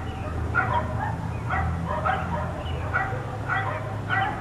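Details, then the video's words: Neighbours' dogs, four of them, left outside all day, give clipped barks every half second or so, fairly close, with a deep background hum underneath. "4 Dogs Barking Allday"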